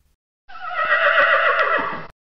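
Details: Horse letting out a single loud neigh of under two seconds, a shrill, quavering whinny that wavers in pitch before breaking off.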